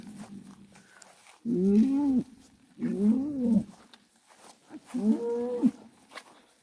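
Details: A bull, the toro mulato in its first fight, at a bullfight in Peña Colorada, lets out three drawn-out, harmonic moaning bellows, each rising then sagging, spaced about a second apart over a low steady hum.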